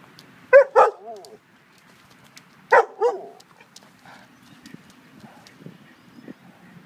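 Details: Great Dane at play with a tow strap gives two pairs of short, sharp barks about two seconds apart, then quieter rustling and faint scuffing sounds.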